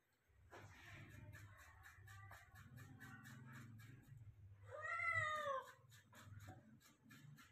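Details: Persian cat being given a shower indoors gives one clear drawn-out meow with a falling, wavering tone near the middle, over a steady low hum and rustling handling sounds.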